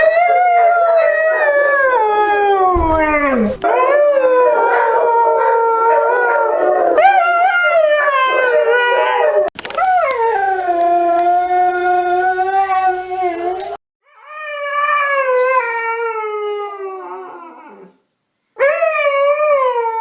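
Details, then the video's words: Howling Siberian Husky puppy, giving wavering drawn-out cries that dip and rise in pitch, some ending in falling wails, separated by short silent gaps. "OUÇA O SOM DO CACHORRO HUSKY SIBERIANO UIVANDO 🐕 HEAR THE SOUND OF THE SIBERIAN HUSKY PUPPY HOWLING"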